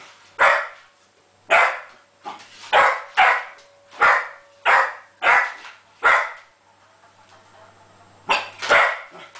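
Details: Jenny, a Springer Spaniel, barks at a copper pot that will not give her ball back: sharp broadband barks, about eight in a row at roughly one-second intervals, a short pause, then two more.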